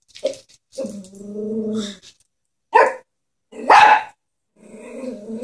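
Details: Pet Chihuahua scared of a stuffed toy horse, giving drawn-out low growls between sharp high barks, roughly one burst per second, with short quiet gaps in between.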